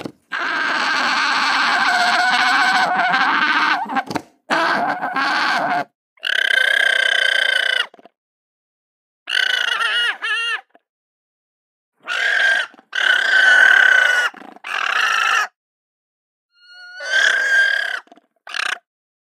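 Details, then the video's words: Alpacas voicing in a compilation of short scenes: drawn-out nasal bleating calls with clear stacked harmonics, some wavering, others short and cut off, separated by abrupt silent gaps. "Alpaca voice"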